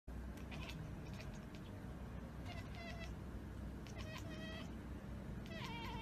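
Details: Domestic cat chattering at a bird or insect it has spotted but cannot reach: clusters of quick, clicking, harmonic-rich bursts come in short volleys about every one to one and a half seconds, over a steady low background rumble.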